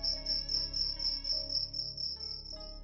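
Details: Cricket, a nocturnal insect whose chirps heard at night in a room or house are most likely its own, gives a steady high-pitched chirping of about a dozen evenly spaced pulses, over soft steady background music tones.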